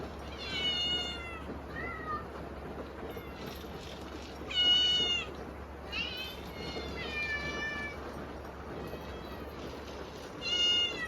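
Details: Hungry kittens meowing at dinner on a typhoon day, loud enough to rise over the rain: repeated high, thin meows, several overlapping, steady hiss of rain behind.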